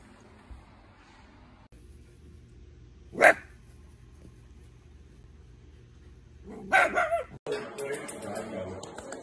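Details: Pet Dachshund, a wiener dog, gives one sharp, loud bark after a quiet stretch with low room hum. A quick burst of two or three more barks follows a few seconds later, then rustling noise.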